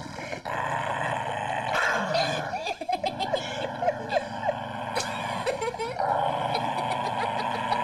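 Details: Pet dog, filmed at home, barking and growling in short uneven bursts, mixed with yips, over steady background music throughout.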